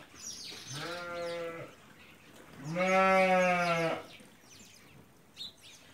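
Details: Hungarian Merino sheep, an imported breed of animals each over 80 kg, kept in Central Anatolia, Turkey, give two drawn-out, low, harmonic bleats, the second louder and longer, against a quiet background.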